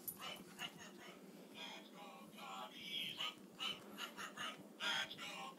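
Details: Boston Terrier puppy playing with a Cubs baseball bat toy, giving short high whimpering squeaks and yips in uneven bursts, with a human voice and rustling in the background.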